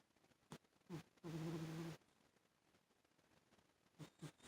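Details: Sleeping house cat named Rosie gives one long, low, buzzy snore lasting under a second, framed by faint softer breaths in a quiet room.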